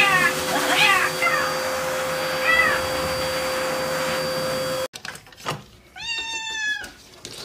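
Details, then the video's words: House cat during a bath: faint cries under a steady electrical hum and rushing noise, then after an abrupt cut a single clear, sustained meow in a quieter room. "Cat's Reaction To Bathing-Why Cats Hate To Bathe?"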